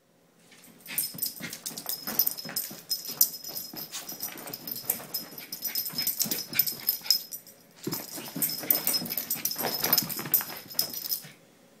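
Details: Pet dog named Jack chasing bubbles for the first time, discovering them that day; excited breathy snorts, puffs and snaps come in dense rapid bursts with a short pause midway, over a steady thin high tone running throughout.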